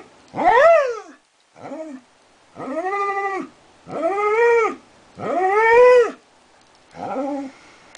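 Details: Extended howling from the border collie Darwin, opening with a falling wail, then a short yelp and several level, sustained arched howls of about a second, separated by brief silences.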